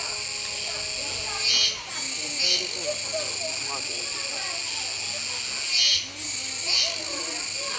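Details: Kuroiwa cicadas at Neopark Okinawa, Japan, on 16 October 2021, near a feeding capybara: a dense, steady, high buzzing drone with short dips in volume, while people talk and children's voices mix in below.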